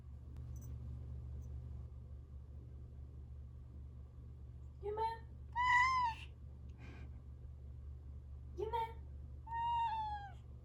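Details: Male mixed-breed house cat waiting eagerly in front of an automatic food feeder indoors, giving short clear meows: two pairs of rising-then-falling mews about four seconds apart, over a low steady hum, a soft human voice murmuring.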